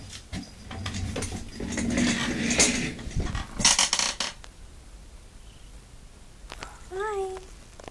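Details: House cat scared of a baby kitten, indoors; after clattering, knocks and a person's voice, one short wavering meow rises then falls near the end.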